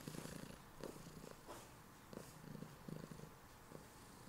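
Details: Female pet cat Heliana purring in bed in the morning, holding her owner in place; close, soft rhythmic purring with short pulsing bursts and brief pauses, no other clear sounds.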